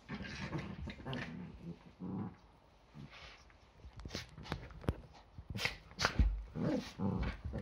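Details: Yorkshire Terriers play fighting at home on an ordinary Sunday morning, a daily romp before breakfast: low rumbling growls come in uneven bursts, with scuffling and brief sharper yips between them.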